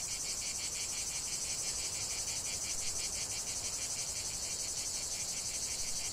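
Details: Cicada song from a lavender field: loud, high, sizzling buzzing with steady rhythmic pulsing near three beats per second, continuous from start to finish.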